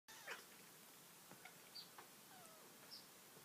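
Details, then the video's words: A mother cat, a domestic female, makes a few soft, brief, high squeaks and chirps at an irregular pace, odd-sounding meows while she watches a bird outside a bedroom window; a faint thin chirp, perhaps from the bird, is also heard. "Cat makes squeaking noises"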